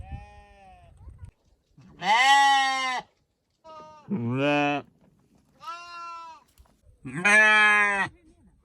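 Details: Sheep and lambs bleating: four harmonic-rich bleats of about a second each, some lower and steady, one higher and wavering, separated by short quiet gaps.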